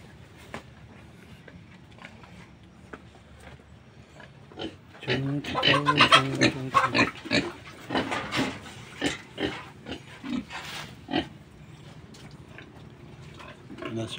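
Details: Domestic pigs, a sow with two lechon-size young pigs, being fed ipil-ipil leaves: a few quiet grunts, then a loud midway burst of rough, harmonic squeals and grunts that fades into scattered grunts, with a man talking and a steady low hum.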